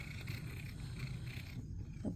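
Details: Domestic cat named Critter, a male, purring while being petted indoors and getting the attention he wants; a steady low rumbling purr fills the clip, with a woman talking softly to him just before.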